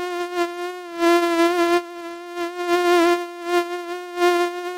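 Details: Mosquito buzzing in a steady, nasal whine with a rich stack of overtones, swelling and fading in loudness roughly once a second as if flying close past and away.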